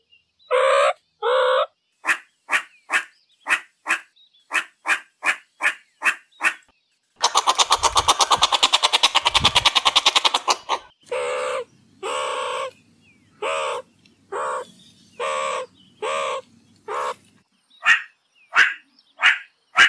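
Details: Varied meerkat calls: a run of short clipped barks, a dense buzzy pulsed chatter, then longer nasal squawks over a low hum, finishing with more sharp barks.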